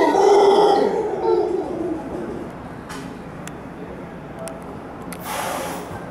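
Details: A howler monkey at Hotel Capitan Suizo gives a deep, rasping, guttural roar that fades after a couple of seconds.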